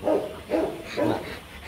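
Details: During a Rottweiler mating session in Hà Nội, Vietnam, with the male courting a hesitant female, three hoarse, muffled barks sound about half a second apart over steady background hiss.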